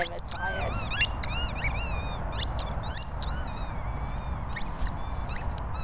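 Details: Jorjie, an Airedale Terrier, squeaking: a rapid run of high, thin, whistle-like squeaks, many rising then falling, crowded close together with hardly a pause, over a low rumbling background.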